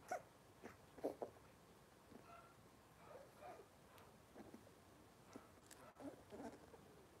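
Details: Cavalier King Charles Spaniel puppies from Robin's litter, indoors on a kitchen camera, giving short soft whimpers and squeaks at irregular intervals, with a louder cluster near the start, amid quiet room noise and occasional clicks.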